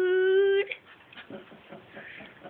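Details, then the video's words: Alaskan Malamute indoors giving a brief steady whine-like 'wooing' note, held flat for about half a second, then fading into soft room noise. "Malamute "wooing" singing"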